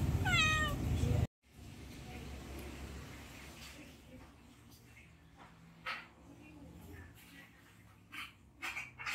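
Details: Hungry domestic cat meowing to beg for food: one loud, drawn-out harmonic meow that falls in pitch at the very start, followed by quiet indoor room noise with scattered faint clicks and rustles.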